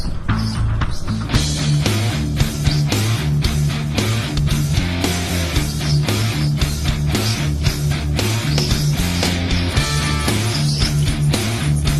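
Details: Loud rock music fills the recording, with driving distorted guitar, a steady heavy bass line and drums, and no animal sound at all.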